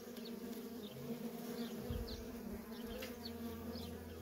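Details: Busy traffic of worker honey bees at a feral colony gives a continuous droning hum, several short bright whines from passing bees and a soft low rumble near the middle.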